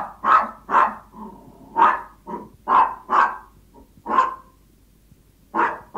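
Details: Yorkshire Toy Terrier begging its owner when hungry: bright, high-pitched yaps in an uneven rhythm, some with drawn-out whining tails, then a silent gap before two final barks.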